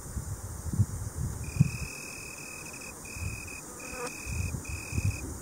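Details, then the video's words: Italian tree cricket (Oecanthus pellucens) giving a clear, steady, high-pitched musical trill in four bursts, each roughly half a second to a second long with short gaps, over a low rumbling background. "Boomkrekel/Italian tree cricket (Oecanthus pellucens) Geluid/Sound"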